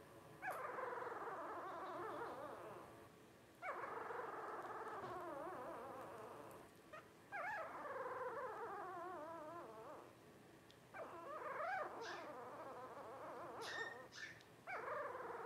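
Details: Twelve-day-old Blenheim Cavalier King Charles Spaniel puppies from Paris and Spike's first litter of five give sustained, quavering whines and squeals, wobbling in pitch, with short gaps and a few sharper yelps near the end.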